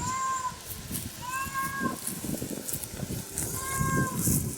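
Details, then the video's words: Recorded cat meowing played on a computer to a dog, which tries to find the cats. Three clear meows, each about half a second, rising then falling, over steady electrical hum and low thumping noise. "Cats Meowing"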